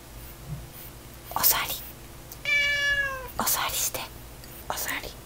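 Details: Domestic cat indoors during a meal, scolding its owner for eating too much: one drawn-out, falling, nasal meow in the middle, surrounded by whispering, breathy noises and rustling.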